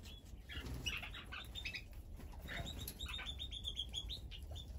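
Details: Guinea pigs eating at a food spread give many short, high, squeaky notes, scattered and overlapping, over steady rustling and crunching noise.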